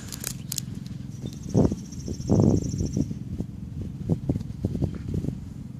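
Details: Bees busy outside their hives on May 1st, 2013, with pollen coming in; a low, steady droning hum runs throughout, broken by soft crackling thumps and a thin high whistle near the start.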